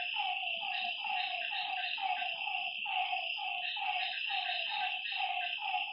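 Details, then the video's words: Night chorus of frogs at a lake: clustered, pulsing croaks in quick runs, several animals overlapping, over a constant high-pitched insect buzz. "Lakeside night creatures and frog sounds"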